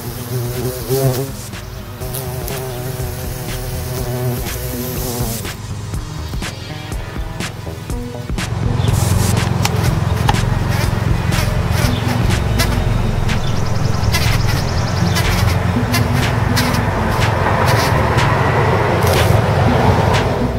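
An eastern carpenter bee drones with a deep, steady buzz, then rough noise crowds in.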